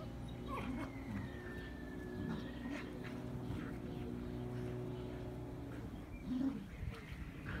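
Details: Irish Terrier vocalizing on a spring day: soft whining and grumbling sounds over a constant low droning background, with one louder yelp near the end.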